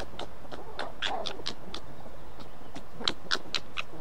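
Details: Red fox cubs fighting aggressively, giving screaming keckern calls: rapid harsh staccato chatter of short bright pulses, roughly four per second, with steady low background noise throughout.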